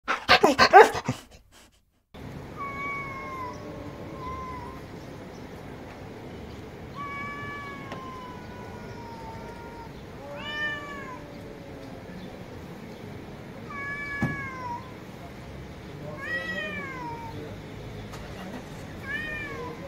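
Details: Domestic cat meowing: after a short loud noisy burst, a string of harmonic meows follows at irregular intervals, some falling in pitch and others rising then dropping, over a steady low background hum.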